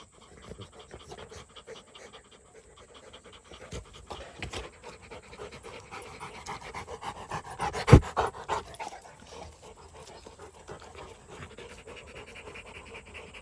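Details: Rottweiler panting quietly at first, the breaths growing louder midway, with one sharp knock or clatter near the eight-second mark before the panting settles again.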